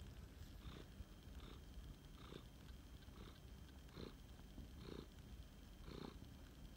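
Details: Rescued male flame point Siamese cat purring while snuggling: a steady low rumble that swells with each breath, roughly every second, with soft breathy bursts on each cycle and no other sounds.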